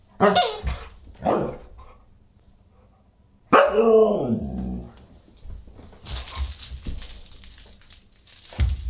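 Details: At a dinner party on December 27, 2022, a Husky barks twice quickly, then gives a longer bending bark, followed by a stretch of clattering, hissy room noise.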